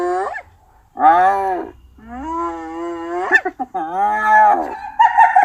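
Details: Hyena giving a series of drawn-out, tonal calls, each arching briefly before sliding down, then a few sharp yelps and a wavering, higher-pitched cry near the end; separated by short pauses, with no other sounds.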